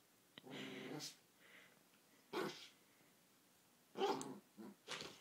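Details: Pet Chihuahua, a little male, crying indoors for the laser pointer to be picked up: breathy, moaning whines followed by short, sharp yelping bursts roughly every second near the end, in a quiet room.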